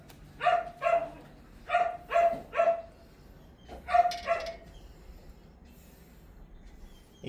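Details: Sharp, high-pitched yipping from Mi-yu, a Pomeranian being trained with food rewards: three quick yips, then a pair, another three, and a final double bark after a pause, with near silence between.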